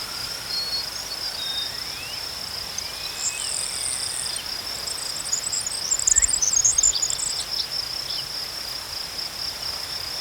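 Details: Chirping crickets keep up a continuous shrill trill, while a second, higher insect-like sound breaks in with rapid scratchy bursts in the middle seconds before fading.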